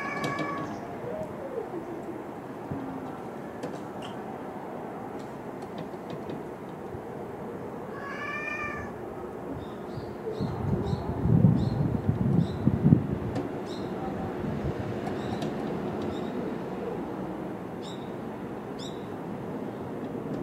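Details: Stray cats in a tense encounter at feeding time beside an abandoned house, 10 March 2016: two kittens, Tutu and Dunggeuri, wary of the neighbourhood boss cat Mijun. One strong, drawn-out meow stands out, with a softer one at the start and low rustling.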